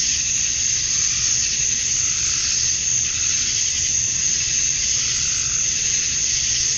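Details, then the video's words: Summer-dusk cicada chorus in Georgia, USA, males calling for females: a constant shrill, hissing drone with a piercing steady tone above it and gentle slow waves in loudness. "Cicadas at Dusk, Summer Night"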